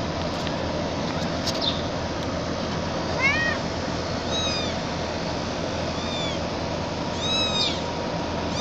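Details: Gray mixed-breed kitten meowing while being carried, several short high arched mews spaced a second or so apart over steady background hiss.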